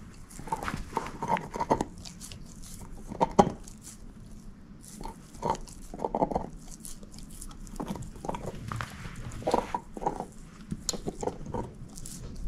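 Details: A female shepherd mix dog named Moose working at a bone, busy wet crunching and scraping throughout, repeated bites in uneven runs, with a loud crack just after three seconds; indoors, no speech.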